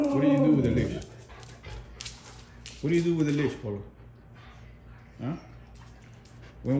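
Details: Husky at home making noises and acting crazy: long wavering howl-talk calls at the start and near 3 seconds, then shorter rising yelps, with a person speaking between calls indoors.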